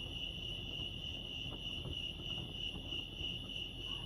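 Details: Brief stretch of crickets chirping at Lake Arrowhead, California: a constant high, rapidly pulsed trill over a low, grainy background rumble.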